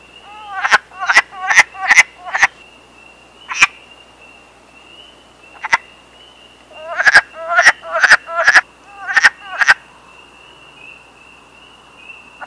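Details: Male wood frogs calling to females from the water during the breeding season: short, hoarse, duck-like clucking croaks in quick bursts of three to five, about thirteen in all, over a steady high-pitched whine in the background.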